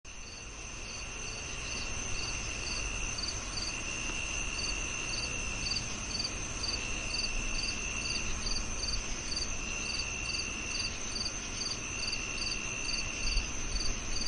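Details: [['Crickets chirping: short, high, rhythmic pulses repeat roughly two or three times a second over a steady high whine, with a broad low rumble of background noise underneath.']]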